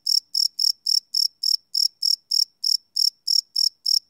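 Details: A steady run of high, ringing cricket chirps at night, about three and a half per second, each pulse crisp and evenly spaced; captured live on a Sony PCM D100 field recorder.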